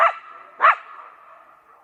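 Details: Coyotes giving two short, sharp yips about half a second apart, each ringing on with a lingering echo that fades over the following second.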